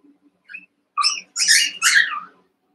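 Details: Playful Cavalier King Charles Spaniel puppies, eight together in an indoor pen, wrestling; a small squeak leads into three loud, harsh, high-pitched yapping bursts in quick succession, with a faint low hum underneath.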